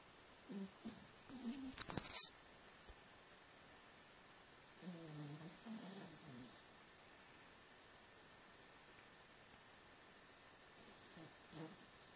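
A Cavalier King Charles Spaniel snores in slow, rasping, throaty bursts spaced a few seconds apart.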